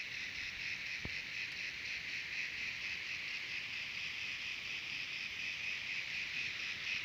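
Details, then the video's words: Cicadas singing in Terek-Sai, Jalal-Abad region of Kyrgyzstan, a dense high-pitched whirring with a faintly pulsing, rattling texture, continuous without pause; a single sharp tap early on. "Певчие Цикады"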